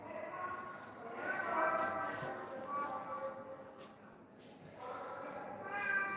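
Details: Rescued pet cat, one of several abandoned cats cared for in a home since 2016, gives a series of drawn-out meows that rise and fall over about six seconds while people talk in Bengali nearby.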